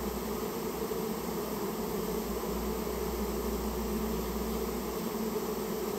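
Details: Japanese honey bees from a rare colony that nested inside a storehouse, being removed on request; a dense, steady, low droning hum from many bees continues without a break, with a faint high electronic whine above it.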